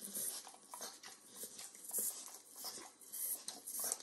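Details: Close, wet licking from a 9-year-old Pit Bull given overcooked bacon as a treat in a kitchen: short sticky tongue clicks and smacks in quick irregular bursts over a quiet room background.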